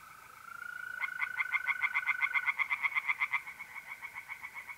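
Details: Tree frogs singing by night in a pond in north-east Italy in mid-April: rapid pulsed croaks, about four per second, rising in a loud run, over a steady high trill of mole crickets.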